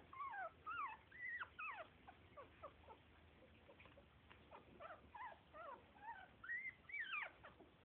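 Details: Pit Bull and Lhasa Apso mix puppies, two males and two females, whimpering indoors: a run of high, thin yelps and whines that sweep up and down, repeated rapidly, over a low steady hum.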